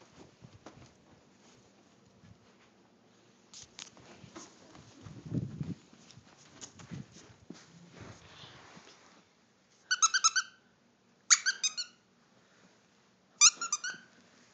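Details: A 10-week-old Norfolk Terrier puppy lets out three short, sharp, high-pitched yapping bursts near the end, after several seconds of soft rustling, scuffling and thumps.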